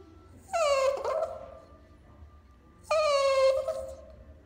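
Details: Cavalier King Charles Spaniel aged two years and 363 days, recorded on 29 November 2016, the day it began heart medicine: two drawn-out, tonal whines about a second long each, sliding slightly downward, over a low background hum.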